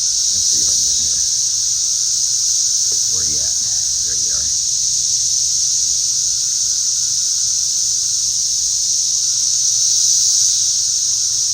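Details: Loud cicada chorus with insects flying about, a continuous shrill buzzing hiss unbroken throughout, interrupted by short bursts of a man talking early and around the middle.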